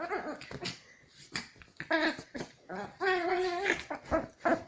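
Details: In an evening rough-housing ritual before bed, a Chihuahua playfully grabs at her owner's hand, giving high, whiny growls and squeaky yips in short bursts that sound like a baby crying, with one longer rising-and-falling grumble near the end.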